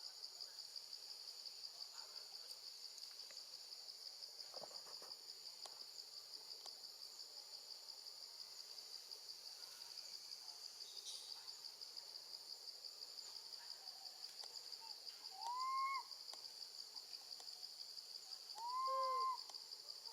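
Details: Baby monkey left alone with her gentle grandma, screaming for her mother: two arched, tonal cries late in the clip, rising then falling, under a steady high buzz of crickets throughout.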